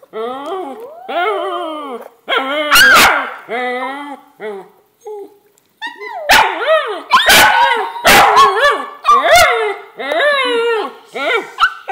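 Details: Daisy the pet dog singing with her owner in a run of wavering, yodel-like howls, each bending up and down in pitch, about one a second, with a few sharp clicks and knocks between them.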